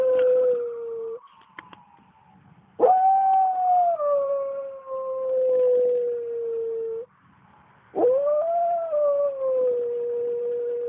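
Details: Pet Pembroke Welsh Corgi howling along with fire truck sirens: three long, sustained, clear howls, each starting with a quick rise, then holding steady and sliding gently downward, separated by short quiet gaps.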